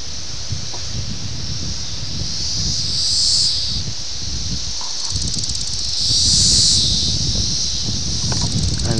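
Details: Periodical 17-year cicadas of Brood X at Ayersville, Ohio, on June 18, 1987, filmed with a VHS camera: a dense, hissing high-pitched chorus that swells twice, near three and six seconds, while a man talks quietly underneath.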